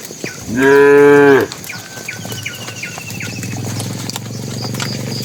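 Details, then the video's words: Tame bull calling the cows on the way to the pen: a single loud, full-throated moo under a second long, followed by a thin whistling sound and low rumbling background. "suara sapi jantan memanggil betina"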